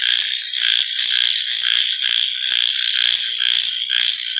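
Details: Frogs calling at night: a dense, shrill, high-pitched chorus of overlapping pulsed calls, swelling and dipping roughly twice a second, with no other clear sounds.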